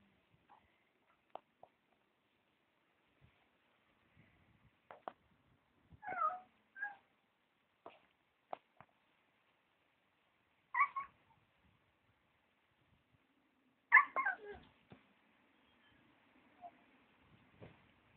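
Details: Husky puppies indoors, giving short high squealing whines in brief clusters, about six in eighteen seconds, the loudest near the end, with soft clicks and taps in between.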